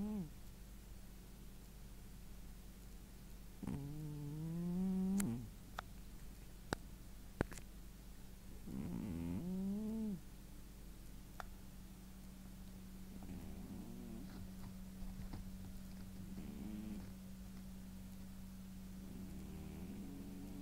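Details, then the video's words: Sleeping domestic cat, exhausted after a bout of running, snores in a room; several throaty harmonic snores, each about a second long, a few seconds apart, with soft clicks and a faint voice between them over a constant hum. "Кот храпит"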